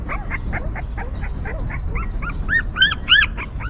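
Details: Whimpering newborn puppies beside their stray mother dog: rapid, evenly spaced, arching squeaks that grow louder and higher toward the end, about three per second, with steady low background noise.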